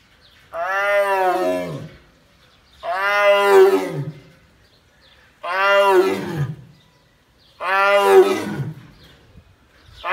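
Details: Bengal tigress at Taigan park roaring to greet her mate behind the wall: four long, rich, harmonic roars, each about a second and a half, repeated roughly every two and a half seconds with silence between.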